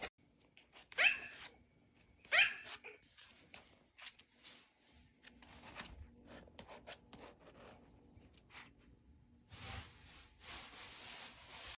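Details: Indoors, a female Maltese puppy playing an iPad lets out two sharp, high barks about a second and a half apart, followed by tapping, shuffling handling noises and a burst of hissing static near the end.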